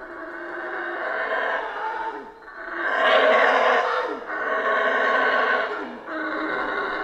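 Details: Howler monkeys calling in a Central American rainforest produce continuous rough, roaring howls in surging bursts, loudest in the middle, with short dips between waves.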